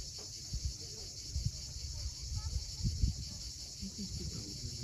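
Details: At sunset on the rocky Crimean coast near Cape Fiolent, cicadas keep up a constant high buzzing hiss, with heavier low surf thumps and a few brief faint tonal sounds underneath.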